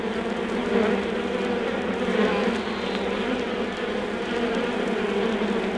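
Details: Honey bees in an undisturbed hive, recorded from vinyl: a dense, steady low droning hum with a fuller buzzing layer above it, holding constant throughout, with faint record clicks.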